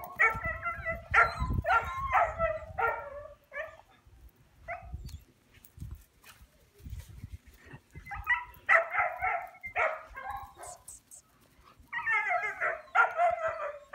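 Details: American Akita offered for sale, barking in short bursts of several sharp, harmonic barks, pausing between bursts with low rumbling and handling noise, then resuming with more rapid barking toward the end.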